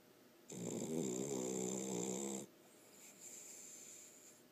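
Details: A Cavalier King Charles Spaniel sleeping in its owner's lap gives one long, rattling, buzzy snore lasting about two seconds.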